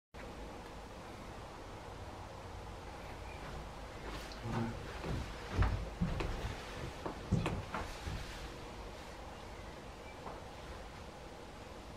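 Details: Low background rumble with a few dull knocks and bumps midway; no clear animal calls.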